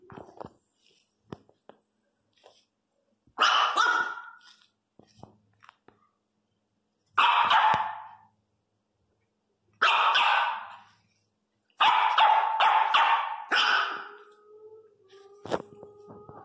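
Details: Teco, a three-month-old Miniature Pinscher puppy, crying very loudly indoors: four harsh, piercing bursts spaced a few seconds apart, the last a cluster of quick yelps trailing into a fading whine, with quiet room noise between.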